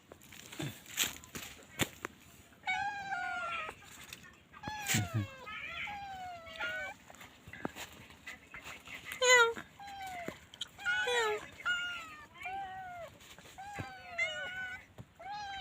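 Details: Stray kittens and their mother cat, domestic cats: many overlapping thin meows, high and wavering, some sharply rising, scattered over the whole stretch with brief clicks and knocks in between.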